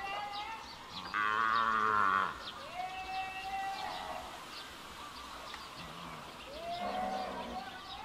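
A calf gives loud, drawn-out moos, calling for its mother.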